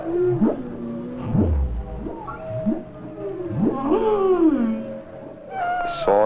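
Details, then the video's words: Humpback whale song of tones forming complex themes, sweeping moans and swoops rising and falling, ending in a bright upward whoop; songs may last 30 minutes, thought to be mating calls of males. "The songs are thought to be the mating calls of the male humpbacks."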